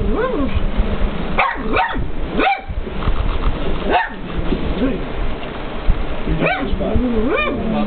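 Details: Pug named Jasper barking at a television showing K911, giving scattered short yips and barks with pauses between them, mixed with TV dialogue and background music.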